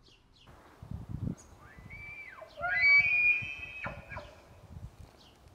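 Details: During the rut in Montana, an elk bugles, a high whistled tone that climbs, holds, then drops sharply to a low grunt.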